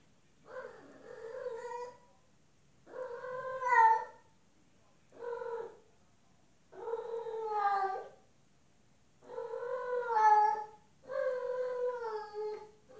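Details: Female domestic cat in heat calling to a male outside: six long, drawn-out, wavering meows, each about one to one and a half seconds, rising then sliding down, separated by short silences, with no other sounds.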